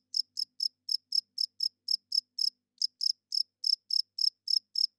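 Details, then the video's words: Softer cricket chirping at night: thin, high chirps with somewhat uneven spacing, a short gap midway, then resuming at about four per second, with no other sounds. "Cricket Chirping Sounds - Cricket klinkt 's nachts luid"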